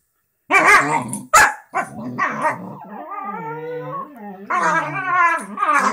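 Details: Two lazy pet dogs lying in bed on a Sunday morning, chatting: rough barky bursts, then a long wavering howl-like moan that rises and falls, ending in more drawn-out vocal grumbles.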